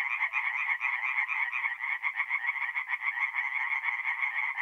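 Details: Tree frogs singing in chorus by night at a forest pond, north-east Italy, mid-April: quick, harsh, repeated croaks packed tightly together, pulsing unevenly, nothing else audible.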